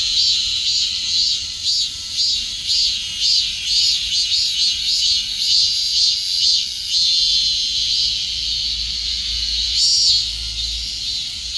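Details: Cicada calling in a steady, high, shrill buzz that swells into soft pulses about twice per second, with a continuous hiss above it and no other clear sounds.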